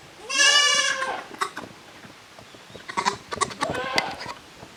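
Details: Goat kids from two families, Koharu's and Okayu's, at play on a handmade Japanese goat farm's yard on 13 June 2023; one long quavering bleat opens, then clattering hoof and body noises and a shorter shaky bleat near four seconds.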